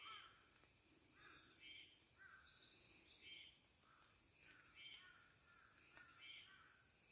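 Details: Sleeping baby water deer snoring: raspy, rasping breaths rising and falling in regular pulses roughly every one and a half seconds, some snores with a slightly tonal edge, against a constant thin high background hum.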